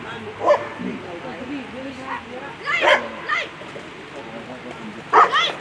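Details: German Shepherd at a World Championship agility event giving a few loud, widely spaced barks, some doubled, amid human voices and crowd chatter.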